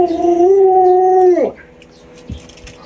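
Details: Alaskan Malamute Luoluo, a pet dog startled by its masked owner, gives a smooth, even, sustained howl lasting about a second and a half, dropping off abruptly into near quiet with a faint thump.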